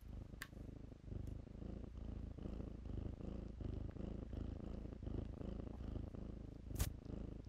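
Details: Low rhythmic rumble of kittens purring while they romp in blankets. The pulses swell after the first second, with a couple of loud sharp ticks.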